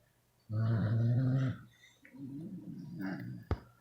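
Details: Twelve sleeping Beagles snoring: a loud, low droning snore lasting about a second, followed by a softer, rougher rasping breath and a sharp click near the end, indoors.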